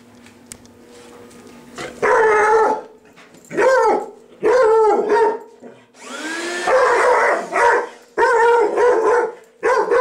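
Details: Pet dog indoors that hates the vacuum cleaner, barking at it: loud, harsh bark bursts about a second long, coming every second or two, with rising whine-like onsets and a low steady hum between barks.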